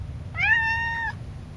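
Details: Cassidy, a very talkative pet cat indoors, gives one loud, drawn-out meow of under a second, steady and slightly falling at the end, against quiet room background.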